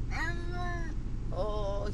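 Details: Brutus the Beefcake, a pet cat, distressed in a car on the way to the vet, gives two long drawn-out meows, the second rising then level, over a steady low engine rumble.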